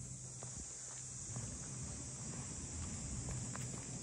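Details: Cicadas chorusing in the port townscape of Ine no Funaya, north of Kyoto, Japan: a steady, shrill, high-pitched drone that never breaks, with soft footsteps tapping beneath it during a walk.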